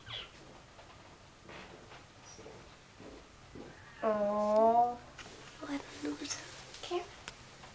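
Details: A small female Siamese kitten weighing 900 grams, newly brought home, gives one long, loud, wavering meow, with quiet voices and room noise around it.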